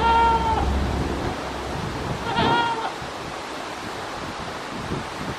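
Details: Goat standing on scaffolding, recorded at 9:12 in the morning on 19 November 2019, gives two clear, tonal bleats about two seconds apart over a steady rushing hiss.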